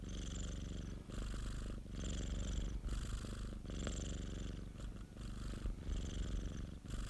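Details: Purring of Popo, a pet cat, recorded at home: a steady low rumble with dense pulses, swelling in alternating inhale and exhale phases roughly every second, with soft breathy hiss over the top.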